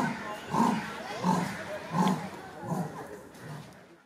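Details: A Sri Lankan leopard at Colombo zoo in October 2018 gives a series of hoarse, rasping grunts, roughly one every seven-tenths of a second.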